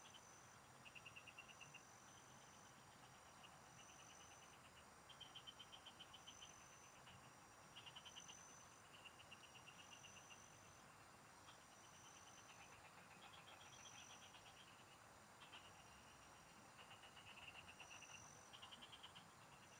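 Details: Frog chorus in the fields: overlapping rattling pulse trains of slightly different pitch follow one another every second or two, beneath a continuous high whine of insects.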